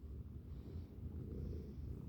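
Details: A male pet cat purring indoors while trying to chew and eat everything within reach; a steady low rumble that swells gently with two slow breath cycles, no voices over it.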